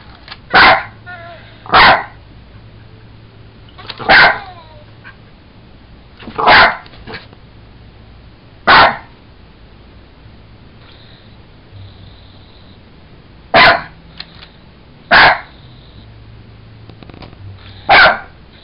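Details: A Jack Russell Terrier playing with a toy monkey barks in short, sharp bursts, about eight over the stretch, some in quick pairs. A person talks to the dog between barks.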